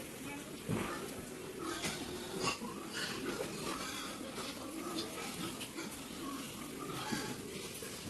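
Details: Pigs at a pig farm in San Tin, Yuen Long, a sparsely populated marshland area of Hong Kong, grunt and squeal in short bursts amid a busy clatter of farm noise.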